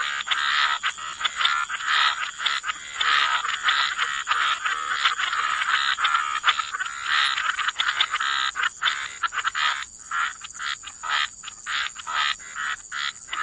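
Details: Dense chorus of frogs at a wetland, rapid rasping croaks packed almost continuously for several seconds, thinning into separate clicking pulses toward the end, with a constant thin high-pitched hum in the background.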